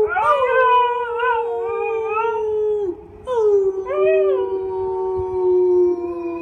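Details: Siberian Husky kept as a pet, howling together with its owner while music playing pauses: two sustained, slightly falling howls, each opening with a wavering upward inflection, separated by a short silence.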